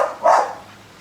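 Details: A single abrupt bark from a pet American Bully, loud and rough, tailing off fast into near-silence.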